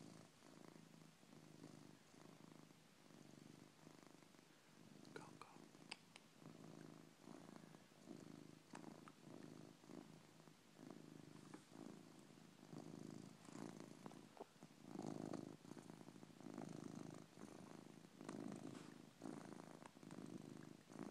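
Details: Coco, a pet cat, sound asleep and snoring indoors: soft, raspy low breaths pulsing in a steady rhythm, each inhale and exhale a hoarse rumble, with slight rustling between some breaths.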